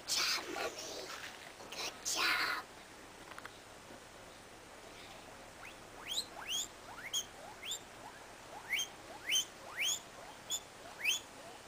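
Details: Guinea pig named LilBoy out on a small adventure on a winter's day: a series of rising, squeaky upward-sweeping calls repeated about every half second, after a few louder rustling bursts at the start.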